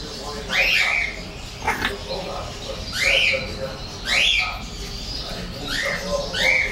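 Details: English bulldog puppies, 33 days old, a pure white male and a golden-and-white female, giving high, thin squealing whines in short arched bursts roughly once a second, with voices murmuring in the background.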